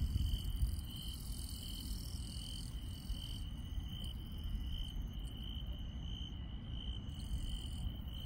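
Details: Insects chirping at night in the countryside: a steady high-pitched trill with faint pulsing runs throughout, while fainter, higher chirps come and go above it, over a heavy low rumble of background noise.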